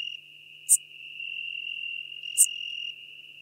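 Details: Song of Schmidt's marbled bush-cricket, Venice, Italy, early September 2021: a sustained high-pitched buzzing trill with two brief sharp clicks, about 1.7 seconds apart.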